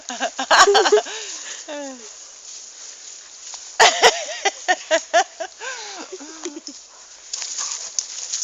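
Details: Two dogs playing together outdoors, giving short yelps and high whining calls that bend down in pitch, bursts near one and four seconds, with Dutch speech from people nearby.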